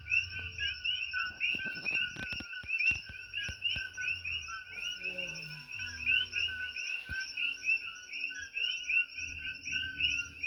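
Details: Nighttime chorus of invasive tiny Coqui frogs on Hawaii's Big Island, loud enough to disturb sleep: many overlapping high chirps repeating steadily without pause, with soft low rumbles and occasional clicks beneath.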